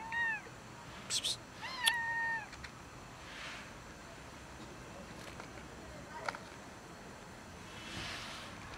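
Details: Cat meowing from its hiding place before being fed: quick short meows, one with a held level tone, then a fainter one later, among scattered clicks and rustles.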